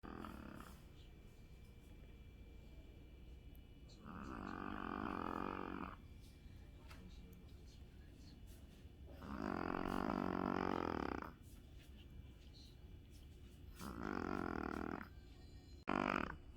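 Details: Shih Tzu asleep and snoring indoors: rasping, buzzy snores about one to two seconds long, three clear breaths spaced roughly five seconds apart, with quiet room noise between them.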